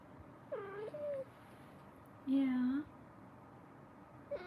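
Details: Kitten in a cuddle room meowing indoors: a short wavering meow, a longer flat mid-pitched cry, then the start of a third, with quiet room noise between calls.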